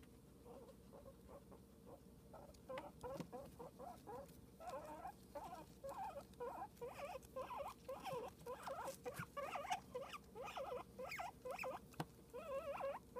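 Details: Guinea pig Cosmo starts quietly, then from about three seconds in squeaks continuously in fast, wavering chirps that grow denser and louder toward the end.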